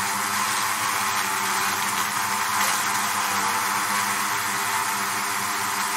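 Bees give a steady, low droning hum under a broad wash of hiss.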